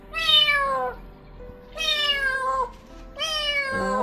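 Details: An abandoned kitten, crying all night for its mother, gives three loud, high, slightly falling meows about every one and a half seconds.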